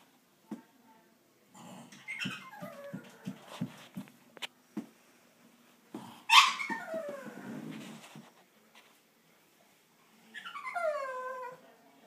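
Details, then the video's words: Pug trying to get into an old lizard aquarium indoors, determined to get in: high whining cries sliding downward, a short squeal near the middle and a falling whine at the end, with scratching and thumping sounds between. "Pug making funny sounds"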